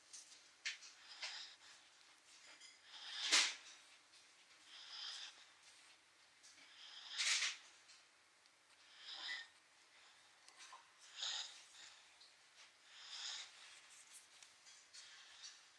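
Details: Sleeping dog snoring indoors: breathy, raspy bursts roughly every four seconds, some louder and harsher than others, with quiet hiss between breaths.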